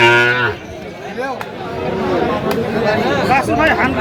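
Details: Sahiwal breed bull calf among calves sold to Dhaka farmers, 15 November: a short, loud bellowing moo opens, then fades into a crowd of men talking and haggling over prices.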